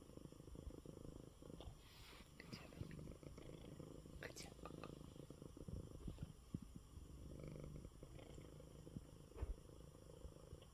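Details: Purring from Coco, a sick male cat resting in his bed after eating. A continuous deep rumble sits beneath quiet whispered human speech, with occasional small clicks and rustles.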